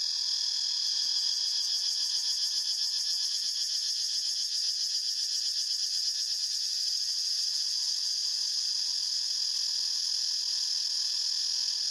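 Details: A dense wall of cicada buzzing fills the forest, shrill and high, with rapid beating pulses that rise and fade in strength over twelve seconds of unbroken sound.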